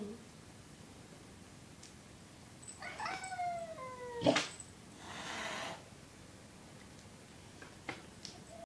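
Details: Unhappy Siamese cat chasing a six-month-old lab/shepherd catahoula puppy: a wavering, descending yowl near the middle, then a sharp bang and a brief hissing burst, with quiet household background.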